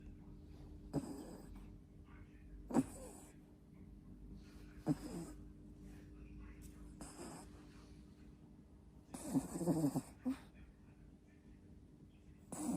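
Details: Two-month-old puppy asleep, snoring loudly: rough, breathy snorts recur about every two seconds, the loudest cluster near ten seconds, over a faint steady low hum in a quiet room.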